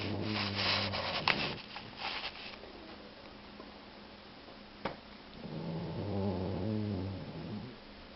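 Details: Loud snoring from a two-year-old male Boxer mix pet dog: a rattling, buzzy snore at the start, a quiet pause with one sharp click, then a second long vibrating snore.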